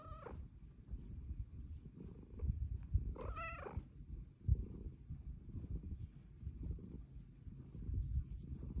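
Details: Female domestic cat asking to be petted: a continuous low rumbling purr throughout, broken by two short bright meows, one at the very start and a longer wavering one after about three seconds.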